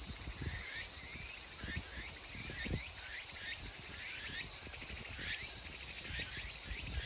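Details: Meimuna opalifera chorus recorded 24 August 2020 in Kawagoe, Saitama, Japan, as summer turns to autumn. Quick rising, repeated phrases run continuously beneath a high background hiss, with scattered clicks and soft footstep-like taps.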